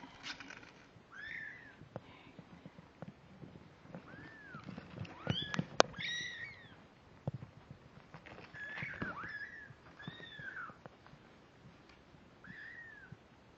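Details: Kittens 17 days old, born October 31 and filmed November 16, 2011, give thin, high mews. Each rises and then falls in an arched shape, repeated every second or two, with soft rustling and handling noises around them.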